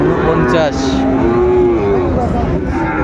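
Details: Sahiwal bull at a cattle market in Kushtia, Bangladesh, on 16 January 2025; a long, low, harmonic moo holding for about two seconds, wavering slightly in pitch, over steady crowd chatter and market bustle.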